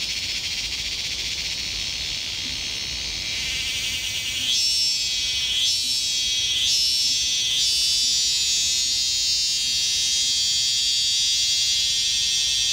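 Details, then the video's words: Insect in Laos, only about 2 cm long, calling very loudly: a continuous piercing buzz that swells midway into rapid regular pulses, several each second, then settles into a harsh sustained drone. "Is this the loudest insect in Asia? Alien insect in Laos!"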